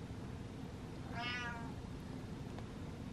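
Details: House cat trailing after its owner gives a single clear, smooth meow of about half a second, rising then gently falling, against a quiet humming room background.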